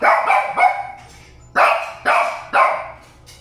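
A Shih Tzu barks in sharp, high-pitched yaps, a quick trio followed by three spaced barks.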